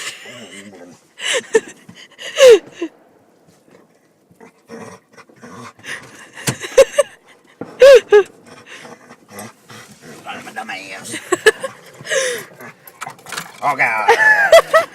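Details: Pet dog, excited during a Fourth of July car ride, gives short high whining whimpers that bend up and down, several bursts spread across the stretch, with people talking and occasional car noise.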